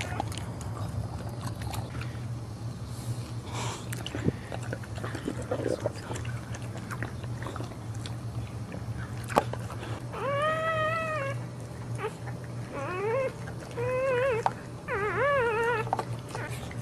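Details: Boxer dog giving birth while standing indoors: a series of high, arching whimpers from about ten seconds on, each rising then falling, in short bursts, over a steady low hum and rustling.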